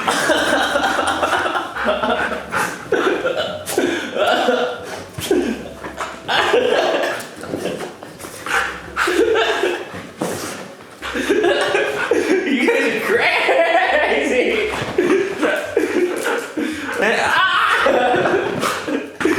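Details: A pet Siberian husky, one of several, gives a run of wavering, talkative whines and yowls that rise and fall like speech, one of the funny sounds it makes every day.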